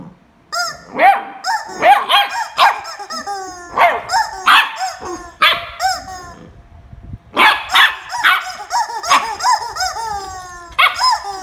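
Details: Corgi Jarvid fighting with a chicken: dense bursts of harsh barks, often in pairs or triplets, interleaved with falling harmonic yips, with a brief lull near the middle.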